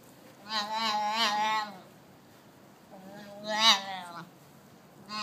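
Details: Baby Arabian oryx chatting, giving two drawn-out, harmonically rich bleats about a second long each, the second rising briefly to a sharper peak, separated by a short quiet gap.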